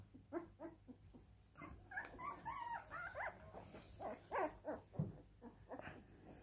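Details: Siberian Husky crying: a quiet, irregular run of short whimpers and nasal whines, some sliding up and down in pitch, with brief louder yelps near the end.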